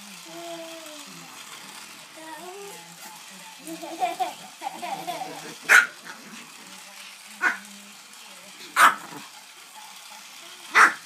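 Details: Dog barking at a toy train, giving sharp single barks roughly every one to two seconds after a stretch of speech from a woman asking what it sees.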